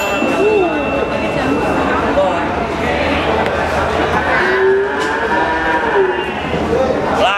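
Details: Goats at a livestock market in Kudus regency, Central Java, Indonesia, bleating with wavering drawn-out cries over a constant din of crowd chatter and bargaining voices in a busy hall.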